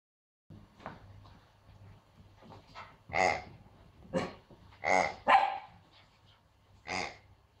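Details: Female Pomsky puppy scared of her new noisy piggy toy, giving a run of yappy high barks, soft at first and then louder, about one each second, with short quiet gaps.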